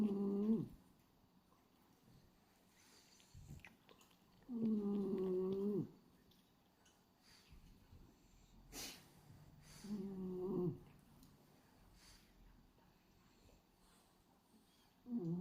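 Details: Hachi, a male pied black-and-white French Bulldog, sleeps with his tongue flapping. Three rasping, harmonic snores of about a second each come roughly every five seconds, separated by near silence and a single sharp click indoors.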